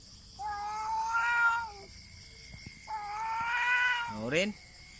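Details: Two cats fighting without touching, only calling at each other: two drawn-out harmonic yowls of about one and a half seconds each, the second ending in a sharp rising wail, with quiet gaps and faint clicks between.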